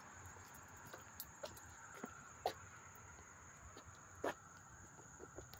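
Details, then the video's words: August 13, 2024 in Hastings-on-Hudson, New York: crickets keep up a constant shrill, even trill heard up close, broken only by occasional soft knocks and clicks nearby. "the chirping of the crickets"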